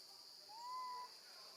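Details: A lone baby female monkey, left with her grandmother, gives one clear whistled cry for her mother, rising, then held level for about half a second against a constant high background hiss.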